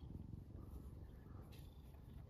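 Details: Domestic cat Mame Daifuku purring happily indoors while waiting to be stroked by a girl reading manga; a steady, low, rumbling pulse of fine rapid beats runs throughout, with a faint rustle midway.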